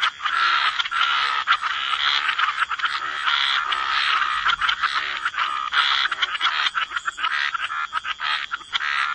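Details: Chorus of frogs by the waterside in wetlands, croaking densely and overlapping, with raspy bursts running almost without pause and a few short gaps between pulses.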